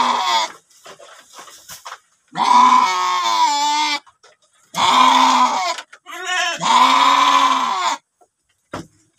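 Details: Male sheep in a pen, two head kept together and about to be watered; three long, quavering bleats of about a second each follow quieter shuffling and faint voices, with a short knock at the close.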